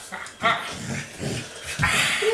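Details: Samoyed dog playing at home indoors, making short grumbling, growly vocal bursts followed by a brief higher whine near the end, with a person's voice close by.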